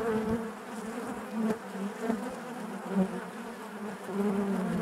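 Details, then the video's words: Deep, steady humming of honey bees inside their hive, many wings blending into one droning buzz that pulses slightly, with faint knocking sounds. "bees therapy hive natural buzzing sound"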